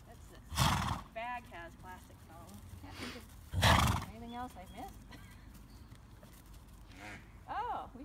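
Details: Bay Thoroughbred mare, six years old, never raced, kept at a home in Graham-Kapowsin, Washington; two loud breathy blasts, then wavering, quavering whinny notes that rise and fall, with hoof clip-clop and human voices around.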